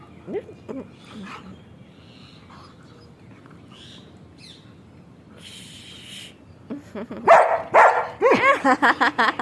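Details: German Shepherd named Sheru at play with people, giving scattered whimpers then a burst of rapid, rough barks and yelps near the end, mixed with human voices.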